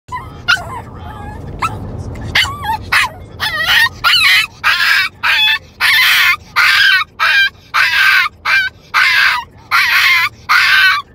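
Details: A Shih Tzu that never learned to bark gives a run of high, yappy, scream-like barks, roughly one every half second, wanting attention.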